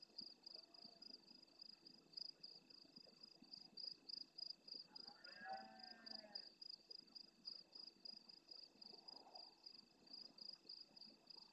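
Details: Large male red deer near the camera at nightfall in the Doñana National Park marsh at El Rocío, Almonte, Huelva, Andalusia, Spain, roaring intensely in reply to distant roars. One brief, arching, harmonic bellow mid-way, over a steady high pulsing insect chorus.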